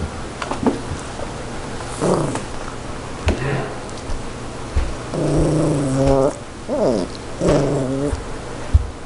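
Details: Yorkshire Terrier fighting over a zucchini, giving low rumbling growls in bursts, with a few harmonic whining growls near the end and some rustling and handling noise.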